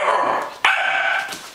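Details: A female Pembroke Welsh Corgi chortles on her owner's urging, a warbling, throaty vocal run with a brief catch midway.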